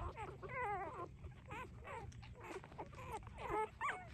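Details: Three-day-old puppies nursing, giving a run of high, wavering whimpers and squeals that rise and fall in pitch, some drawn out and quivering, others short and clipped, over a low background rumble.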